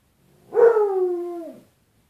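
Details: A dog named Bruce, indoors, vocalizing at his own reflection in a closet door's glass as if to another dog: one drawn-out, slightly falling harmonic howl lasting about a second, steady then dropping at the end.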